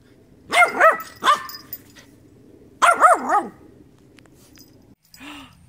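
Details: Doubled barks from a dog, arched and harmonic, first a pair with a short extra yap, then another pair two seconds later, followed by a brief soft squeak.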